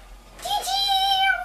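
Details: Nikita, a female Siberian Husky eager to get outside to the dog park on a nice day, gives a high, steady whimper. The drawn-out tonal whine lasts about a second and lifts slightly at the end.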